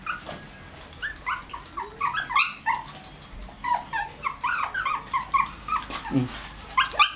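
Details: White Shih Tzu puppies, 1 month and 28 days old, at milk time with their mother, give a run of short, high whimpers and squeaky yips.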